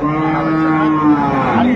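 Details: One long, steady low moo, held level for over a second before a brief bend at the end, from cattle at the Ambari Haat livestock market in Dinajpur, where dairy cows and calves are traded; market noise underneath.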